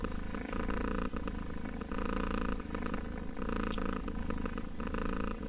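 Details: Kitten purring up close, a continuous low rumbling purr with a steady pulsing texture that runs unbroken through the whole stretch, with faint rustling handling noise.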